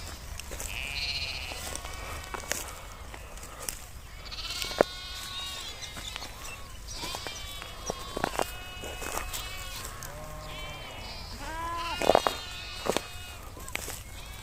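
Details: Grazing sheep herd with nomadic herders in Kashmir, outdoors in nature: many overlapping wavering bleats from several sheep, some high and quavering, others lower, spread through the scene with a steady low rumble beneath.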